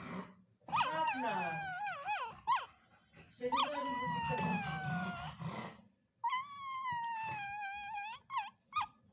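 A pug puppy gives wavering, whiny howls and whimpers in its sleep, rising and falling in pitch.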